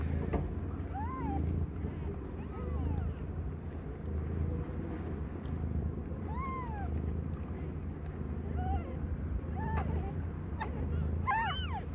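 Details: Around Aimee, a young cat not yet a year old, delivering five differently coloured kittens, a handful of brief rising-and-falling mews sound at intervals against a constant low-pitched background drone.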